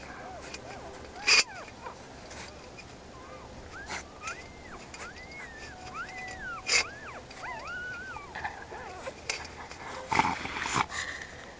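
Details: Pups of a guard dog whining: a series of thin, arched, whistled whimpers, each rising and then falling, overlapping in quick succession, with scattered clicks, knocks and background noise.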